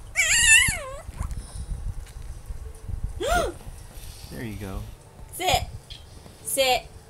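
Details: Sookie, an 8-week-old female Maltipoo puppy, gives high, thin yipping barks that rise and fall while a person talks; she is barking for treats she cannot reach.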